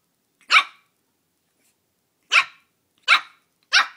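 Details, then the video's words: Young Shih Tzu Belle, annoyed by a mini pumpkin at Halloween, gives one loud piercing yap, falls quiet for nearly two seconds, then fires three more in quick succession. "Puppy battles mini pumpkin on Halloween!"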